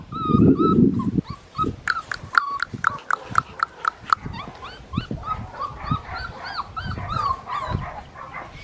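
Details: Four-and-a-half-week-old blue merle male Australian Shepherd puppy on a licensed Oklahoma breeding farm, crying in quick high whimpers and yips, rising then falling, several each second, after a low thumping rumble of handling at the start.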